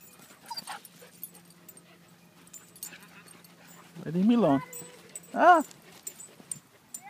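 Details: Husky playing with another dog at a dog park gives two loud, rising-then-falling whining howls with rich harmonics, one long and one shorter, amid jingling tags, scuffling and a person's voice.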